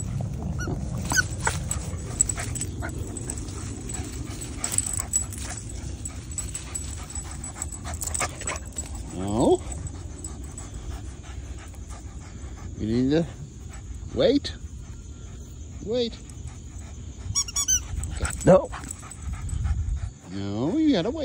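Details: Boston Terrier outdoors in the morning, excited while playing with his football: short, high, rising whines and yips come every few seconds between a man's spoken commands and praise, with steady outdoor background noise.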